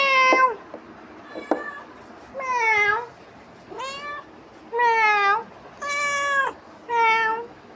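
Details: House cat pestering its owner after returning from roaming outside, giving a series of about six short, falling meows spaced roughly a second apart, with a faint click between the first calls.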